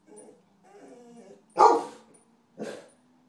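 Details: Sunny the dog during a raccoon hunt: wavering low baying notes lead into one powerful, harsh bark, followed by a softer second bark about a second after.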